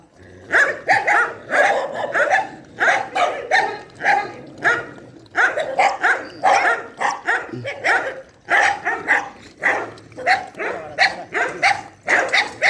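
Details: Dogs in a shelter barking through night feeding: continuous, energetic barks repeated over a second or so apart, broken by brief pauses, loud and harsh throughout.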